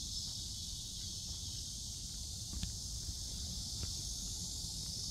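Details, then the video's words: Cicadas at Seoul Innovation Park, July 11, about 11 in the morning during a stroll: an unbroken high-pitched droning hiss fills the air, with soft footsteps and a few light knocks beneath. "매미 소리"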